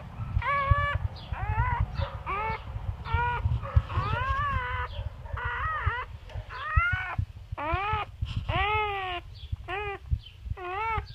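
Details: Newborn English Labrador puppies squeal during whelping of a litter whose first four are chocolate: about fifteen short, high, arched squeaks with rising-then-falling pitch in irregular bursts, over a low rumbling background.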